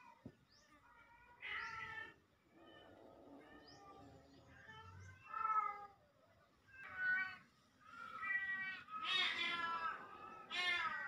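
A Siamese cat calls repeatedly with long, nasal, wailing meows, each one rising and then falling in pitch. The cries come roughly every second or two and grow louder and more insistent toward the end.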